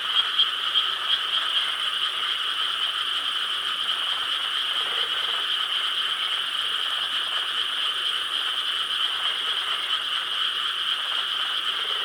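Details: Summer night in Korean rice paddies, 4 July 2013: countless frogs calling together in an even, continuous pulsing chorus, bright and steady throughout with no single caller standing out and no other clear sounds.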